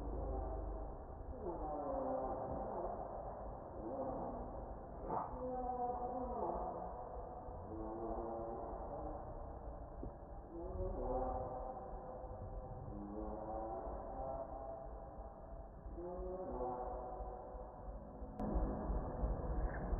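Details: Very hungry baby monkey begs for milk with a long run of tremulous, harmonic cries that bend up and down, repeated in clusters with brief pauses, against steady low background noise and a sharp click near the end.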